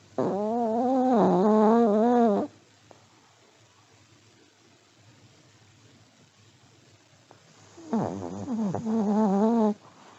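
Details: Sleeping elderly Pomeranian dog snoring, with two long humming snores that waver up and down in a reedy tone. The second one starts with a rough, sputtering onset. The pause of about five seconds between them is quiet.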